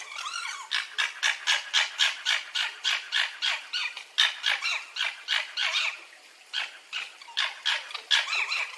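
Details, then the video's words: A red fox chatters in quick, harsh yelps, roughly four each second, in a nearly unbroken run with one brief pause partway through. "Fuchsgeräusche und Beschreibung"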